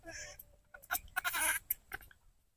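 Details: Wild long-tailed macaques give harsh, screechy calls in quick bursts from within the forest, frightening a nearby young monkey as rain is about to fall.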